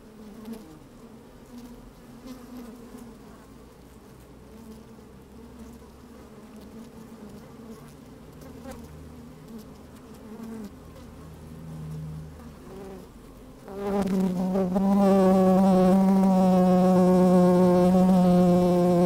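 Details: Honey bees moving about in an open hive on a sunny day: a soft low hum with faint buzzes for about fourteen seconds, then a bee close to the microphone bursts into a loud, steady, strongly harmonic buzz.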